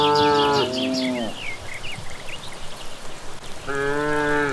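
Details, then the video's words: Cattle returning from grazing on a village path in the evening: a long harmonic moo, a pause, then another moo beginning near the end, with chirping evening birds high above throughout. "Sapi Pulang Merumput di Sore Hari"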